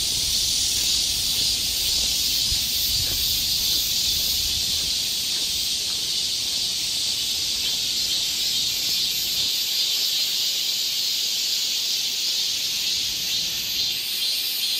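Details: Cicada chorus filling the summer woods of Galsan Park in Seoul, South Korea, a steady shrill buzzing wall of sound with slight pulsing, low rumbles early on fading to near quiet underneath.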